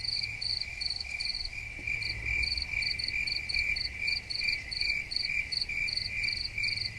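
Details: Soothing cricket chorus: rapid high-pitched chirps in regular bursts, roughly two or three each second, over a continuous shrill trill and a soft low rumble.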